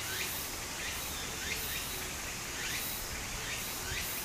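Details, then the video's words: Brief stretch of cicadas calling in summer near a little stream in Japan, buzzy pulsed phrases rising and falling over even running-water noise. "小川の流れと蝉の声 自然音 ～夏～ Japan Sound of nature Cicada's voice"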